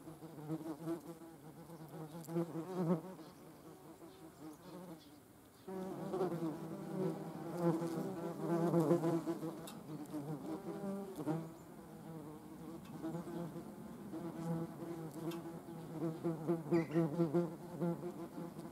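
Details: Yellow jacket wasps collecting protein for larval feeding, with a long stretch of wavering buzzing hums from several passes, briefly dropping near five seconds before swelling again, ending in sputtering buzzes.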